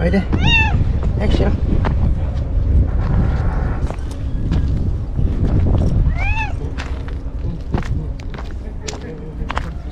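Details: Lone stray white cat waiting on a breakwater for its caretaker; two arched, drawn-out meows, one at the start and one past the middle, mixed with a person talking and heavy wind and wave noise.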